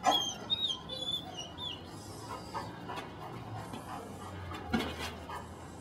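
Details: Belgian Malinois puppy named Dalai from the des Champs kennel in Mexico, recorded 25 March 2009: high-pitched, harmonic whining yelps in the first second and a half, then quieter, with a dull thump near the end over faint room noise.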